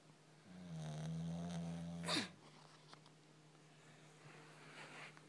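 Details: Snoring of a sleeping puppy indoors: a low, droning harmonic snore swells for over a second, ends in a sharp noisy sniff or snort near two seconds, then faint breathing follows in a quiet room.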